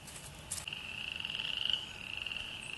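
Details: Spring peepers calling together at an archaeological field site in early spring, a steady high-pitched shrill of overlapping peeps.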